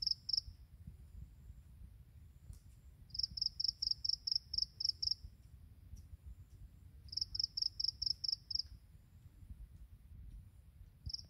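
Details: Morning song of grass insects, short trains of high pulsed chirps, about six to eight evenly spaced pulses per train, arriving every few seconds against a faint low hum.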